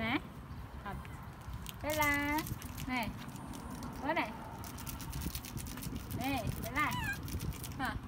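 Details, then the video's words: Bella, a baby monkey whose mother is not caring for her, cries out: a sustained quavering wail followed by several shorter, rising-and-falling squeals, over steady background chatter from people. "Baby Bella Cry So Loudly When Mom Not Take Care Her"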